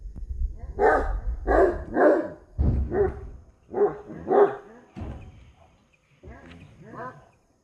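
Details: Street dogs fight for a female, giving a rapid run of harsh, hoarse barks about twice per second, followed by a pause and a few rougher snarling yelps near the end.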